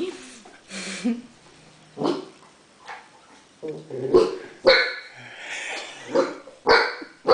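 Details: Great Dane puppy Bagheera, a seven-week-old female on her first day in her new home, gives short sharp barks spaced irregularly, about one every second, with a woman talking softly in between.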